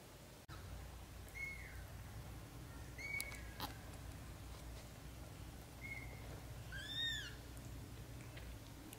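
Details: British Shorthair kittens, black golden and blue golden, in their first 30 days with their mother: about four faint, thin, high mews, short and slightly falling, the last one fuller, over a steady low indoor hum.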